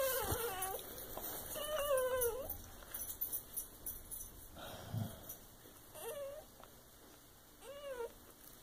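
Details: Soft Coated Wheaten Terrier and Shiba Inu cross puppy just after birth, giving thin high squeaky whimpers with arching, wavering tones in short bursts, the mother dog nearby and faint rustling in the background.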